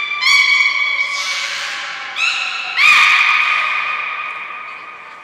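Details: Belugas in training at Port of Nagoya Public Aquarium, 5 June 2021, with Hodoi, Gray, Nana and Nico taking part; trumpet-like harmonic squawks come in three overlapping bursts, the last loudest, then fade slowly.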